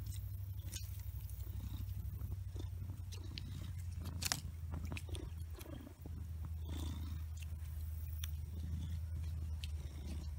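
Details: Big Blackie, a domestic cat, purring steadily: a deep, continuous low rumble throughout, with scattered soft clicks and rustles over it.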